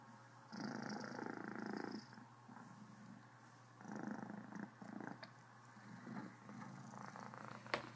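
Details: A happy Cornish Rex named Criquette purrs full-on, hiccuping slightly: a loud, raspy purr phrase lasting over a second, then quieter, shorter purring pulses and a faint click at the close.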